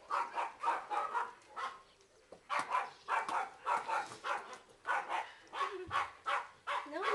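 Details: Barking from a pair of 8-month-old male terrier mix puppies from a big Stafford-like terrier breed, up for adoption; dense runs of rapid, harsh barks with a short pause near the middle.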